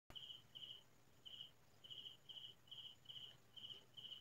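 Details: Crickets chirping at night in farmland in the Philippines, near midnight in quiet countryside: short, bright, even chirps in a steady series, about two per second, over a soft, constant low hum.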